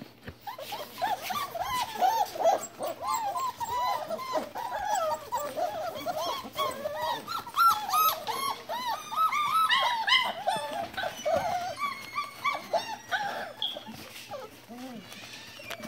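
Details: Litter of Standard Poodle puppies aged four to five weeks, kept indoors with a new litterbox, filling the recording with continuous overlapping whines, squeals and short yelps, high and wavering, several pups calling at once, plus a low steady hum.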